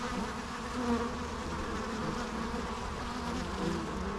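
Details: Dense, even humming of many bees, a thick low drone with stacked harmonics and only slight swells as insects move nearer and farther.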